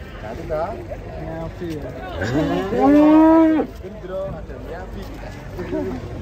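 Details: Giant cattle being unloaded from a truck: one long, loud moo lasting about a second and a half, rising sharply at the start and then holding steady, with men talking nearby before and after.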